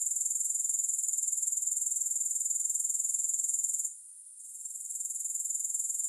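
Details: Shrill, high grasshopper buzz with rapid regular pulses, recorded for sleep and focus without music; the sound drops out for about half a second midway, then returns and steadies.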